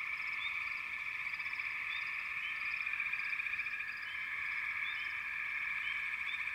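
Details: Many frogs calling together in a chorus: a sustained, shimmering mass of high trills with occasional rising chirps popping out above the steady drone.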